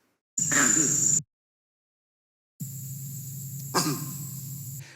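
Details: Monkey alarm calls with an 'oo' suffix, 'krak-oo' and 'hok-oo', which widen the warning from one predator to general danger; played back from recordings. Two harsh call bouts separated by silence, the second with a sharp burst over a steady hum.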